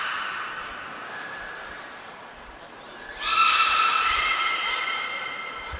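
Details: Beluga named Niko, training at Port of Nagoya Public Aquarium on 25 February 2024. A faint, nasal, harmonic tone fades out, then after a pause a strong, steady, reedy squeal with layered overtones rings on for more than two seconds.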